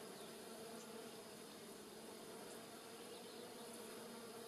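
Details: Giant white-tailed bumblebees and smaller honey bees foraging on rosemary in a village garden in Polichnitos, in early November 2020 sunshine: a steady, low, even hum throughout, soft and continuous, with no breaks.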